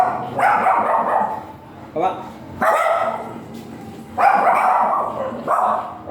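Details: Giant Golden Retriever stud dog, said to weigh 40 kilos, at Binalonan, Pangasinan in the Philippines: four deep, harmonic barks spaced a second or more apart, with people talking in between.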